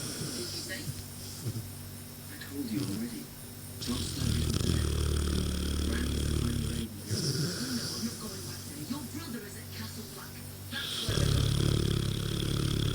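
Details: A Mastiff cross named Ra snoring while asleep on 22 June 2014: drawn-out, low, rasping snores of several seconds each, separated by short gaps, over background speech from a television.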